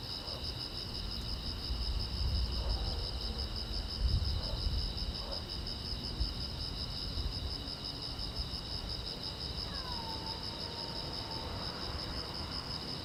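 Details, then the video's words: Crickets chirping at night beside a silent road: a steady, fast-pulsing high trill in two bands holds throughout, over low rumbling background noise, with a faint sliding whistle-like sound near the end. "the Chirping Sound of Crickets"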